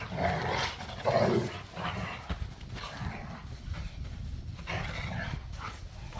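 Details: Pit bulls and a Malinois roughhousing in a back yard: a loud growling bark burst at the start, then ongoing snarls and growls in uneven waves, with scuffing and panting mixed in.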